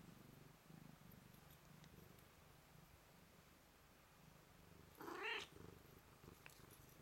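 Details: Blue-eyed white Manx cat purring in greeting, a steady low rumbling purr throughout, with a brief louder rising vocal sound near the end.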